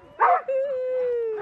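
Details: Sojou, a female Alaskan Malamute sled dog at peak fitness, on a spring sledding run in March in Larose Forest, Ontario, Canada. A brief rough burst gives way to a steady, drawn-out howling tone held about a second and easing slightly lower.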